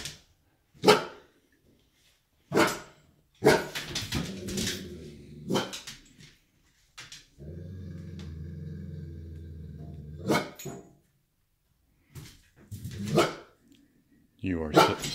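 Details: A 1½-year-old Golden Retriever faces off with a rocking horse in his home, giving sharp, deep barks at irregular intervals with a longer low growl between them.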